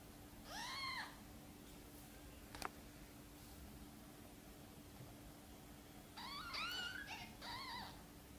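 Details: Mother cat Sonny gently meowing, asking for help to bring her tiny kittens into the nest: one soft, arched meow near the start, then a quiet pause, then a cluster of two or three rising-falling meows at the end.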